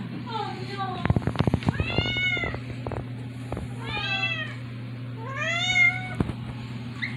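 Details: Female domestic cat, teased too much, answers with four or five plaintive, bending meows spaced a second or two apart, mixed with sharp tapping clicks and a low background hum.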